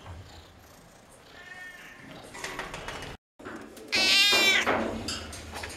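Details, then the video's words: Noisy cats at a veterinary clinic; after a quiet, murmuring stretch, one loud, drawn-out harmonic meow rises and falls for under a second, with a brief faint wavering cry before it. "Meowing, chirping, yowling! NOISY cats talking!"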